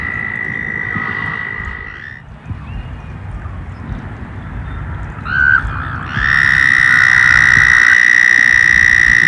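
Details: Emerging frogs and toads outdoors as summer approaches. A fading trill ends early, followed by scattered faint chirps and rustling. Then a short burst leads into a loud, steady, high buzzing trill held through the final seconds, with low background rumble.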